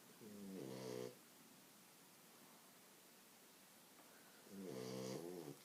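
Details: A French Bulldog sleeping on its owner's legs snores with two rough, rattling breaths spaced several seconds apart.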